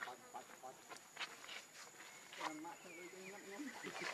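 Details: Baby monkey Leo crying for milk from its mother: soft clicks and rustles first, then a sequence of wavering, tonal whimpers stepping up and down in pitch.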